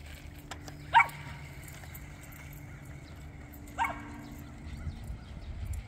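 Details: A Cavalier King Charles Spaniel with a strong chase drive gives two sharp barks several seconds apart while chasing a car, over low background rumble.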